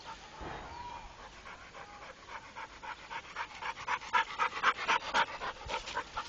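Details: Trained Pit Bull named Rako panting: quick breathy pulses, about four per second, starting soft and growing louder and steadier over the last few seconds.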